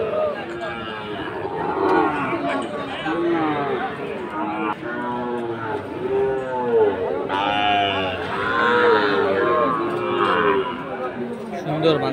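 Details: Sahiwal bull calves being fattened, recorded on 4 March 2023 at the Aftabganj cattle market, Dinajpur, Bangladesh. Repeated overlapping moos, several callers one after another, with people talking throughout.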